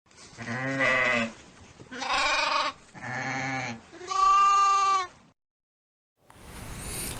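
Four separate bleats from a sheep, harsh and quavering, with the last one pitched higher and clearer. After a pause, a brief noisy rustle ends the recording.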